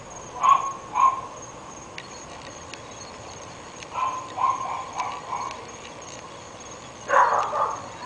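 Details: Dogs, three kept at a house in North Bay Village, barking day and night: two quick barks, a pause, a cluster of four or five barks, then a final loud burst, over steady background hiss.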